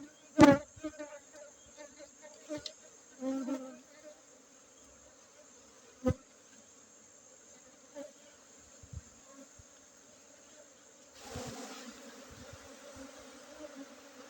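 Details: Honey bees during a honey harvest on Monday, 5 June 2023, in Bener Meriah, Aceh, Indonesia, among Gayo Arabica coffee gardens. A steady, low, droning hum runs throughout, broken by sharp knocks and clatter from handling the hives.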